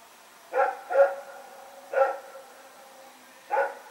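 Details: Dog named Rex barking at night while running about, recorded September 21, 2018; a close double bark, then a single, then another single after a longer pause.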